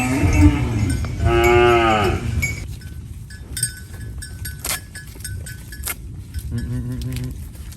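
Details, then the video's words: Cow eating banana leaves on a farm, giving a loud harmonic moo lasting about a second, then a second shorter, softer moo near the end; clinking and rustling noises in between. "Funny cow eating banana leaves Mooing Sounds"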